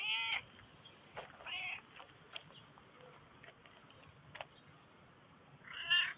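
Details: A black cat meows quietly three times, a short call at the start, a wavering one after a second, and a louder meow at the end, with faint clicks between.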